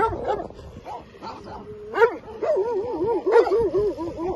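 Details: Albanian Molossus dogs guarding their territory, giving short, tonal barks and yelps that rise and fall in pitch, some drawn into wavering whines, with a person exclaiming briefly.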